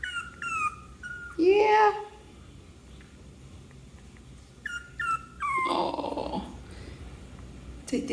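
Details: Six-week-old male Yorkshire Terrier puppy, newly brought home, giving high thin whines that slide downward, in short bursts, amid a person's talking and a low indoor hum.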